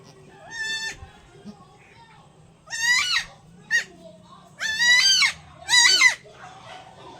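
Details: Newborn goat kids under 24 hours old, just injected with liver extract and iron and still struggling to stand, bleat: about five loud, harmonic, wavering cries, short ones alternating with longer drawn-out ones, over a quiet low hum.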